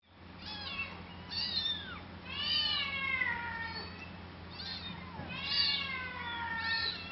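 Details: Cat giving a quick series of high, arching meows with bright harmonics, each bending up then down, in clusters of several calls about a second apart, over a faint steady low hum.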